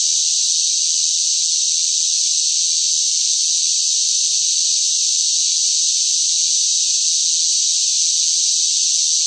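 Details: Noisy cicada song in sweltering summer heat, heard as an even, shrill, sizzling drone that never breaks or changes pitch over several seconds, with no birds, wind or voices.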